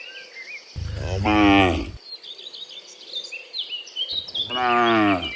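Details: Cows in the morning, dozens of them walking from the field back to the pen, let out two full, deep moos roughly three seconds apart while birds chatter in the background.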